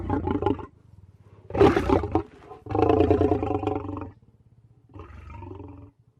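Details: Lion roar in four deep, rasping bursts with strong low harmonics, the second burst sharpest and loudest, then a longer sustained roar and a fainter closing one.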